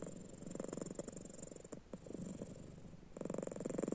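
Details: Domestic cat sleeping indoors with its eyes open, snoring: quieter, rapid rhythmic rasping pulses in bursts, fading mid-clip and returning louder near the end.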